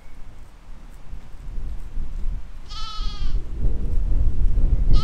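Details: Sheep grazing in a spring field, filmed in 2020: one wavering, tremulous bleat near the middle and the start of another at the close, over steady low rumbling wind noise.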